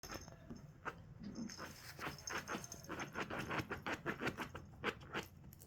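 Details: Puppy, a rescued dog, attacking a cushion indoors, panting in quick breathy bursts, roughly three or four per second, with rustling and scuffling of fabric and a faint steady high tone behind.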